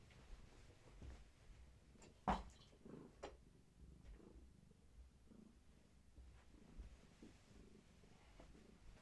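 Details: Pregnant long-haired tabby Gaia, restless as her many kittens stir, rubs against the person holding her indoors; a quiet purr underlies rustling and handling thumps, with one loud knock early on.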